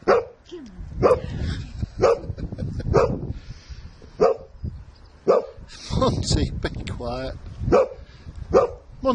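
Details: Sussex Spaniel playing at home with its owners and another dog: a rapid series of short, punchy barks about once a second, mixed with people talking and laughing and some scuffling.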